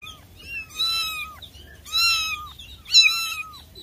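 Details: Persian cat meowing three times, each meow a drawn-out, slightly falling tone lasting about half a second, spaced roughly a second apart, with rich overtones and little background noise.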